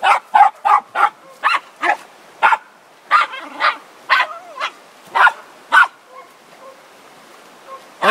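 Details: Border Terrier Zorro (Ottercap Miracle Drug) barks in short, sharp bursts, about a dozen in quick irregular succession, loud and broadband, then fading to a few softer yips with a final bark at the end.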